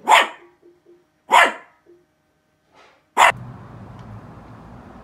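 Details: Coco, a pet Havashu dog, barking at something: three sharp, bright barks, the second about a second after the first and the third nearly two seconds later, with faint low murmurs between and a steady low hum after the last.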